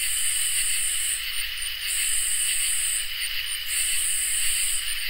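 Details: On a summer night, crickets and katydids form a dense insect chorus: a constant thin ringing trill under long buzzy bursts broken by brief pauses and a few quick chirps.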